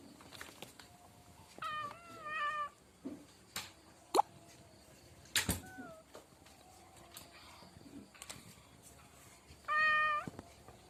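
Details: Domestic cat meowing: two short wavering meows early on, a brief falling mew midway and a louder drawn-out meow near the end, amid scattered knocks, taps and clicks in a quiet room.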